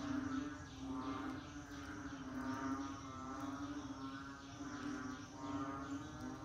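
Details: During the rainy season frogs call together, rhythmic pulsing calls rising and falling roughly every two seconds over a constant low hum.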